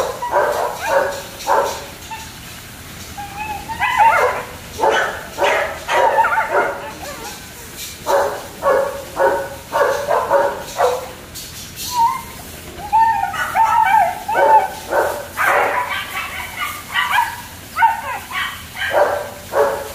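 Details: Several German Shepherd pups kept at a kennel give rapid, uneven barks and shrill yips, several voices overlapping, with brief whining tones between bursts and a faint voice in the background.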